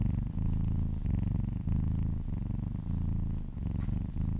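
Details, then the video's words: Kitten purring in an owner's ear while being massaged; close, resonant rumble in repeated breath-length pulses, about one every half second, no other sounds. "Purring kittens"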